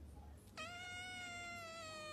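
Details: A Scottish Fold kitten gives one long, high, steady meow that sags slightly in pitch toward the end.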